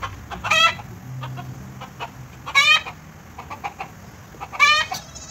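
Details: Affectionate goat being bottle-fed in Bahrain, giving three high, quavering, wavering bleats spaced about two seconds apart, each short and nasal, over a faint low hum.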